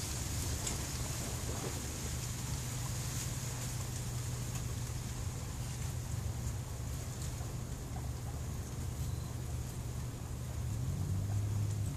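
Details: Steady low rumble and broadband hiss, like wind or a running engine, fill the recording; no animal calls can be picked out.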